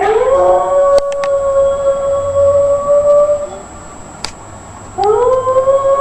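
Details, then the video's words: Dog howling loudly: a long, steady, tonal howl held for about three and a half seconds, fading out, then a second howl rising in from the five-second mark, with a few faint clicks in between. "HERMOSOS PERROS AULLANDO FUERTE | dogs howling"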